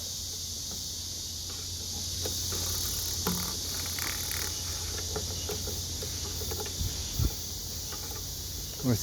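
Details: A steady, high, hissing cicada drone during a summer evening collecting walk in Korea, where Meimuna mongolica, Oncotympana, Cryptotympana and Meimuna opalifera sing together; a man speaks briefly amid faint knocks and rustles. Meimuna mongolica cicada.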